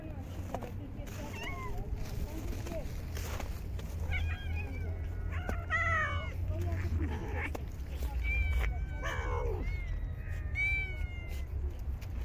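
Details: Stray park cats being fed in very cold winter weather meow repeatedly, overlapping high wavering and drawn-out cries from several animals, with low outdoor rumble and some human voices underneath.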